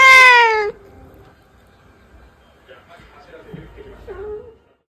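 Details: Domestic cat, one of the rescued sisters Pina and Pico, gives a single loud, high meow lasting under a second that slides slightly downward. Quiet faint rustling and a soft murmur follow.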